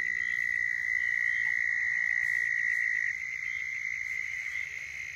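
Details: Southern toads calling in Florida as a mating call: a sustained high trill, loud at first then fading after three seconds, with faint background chirps.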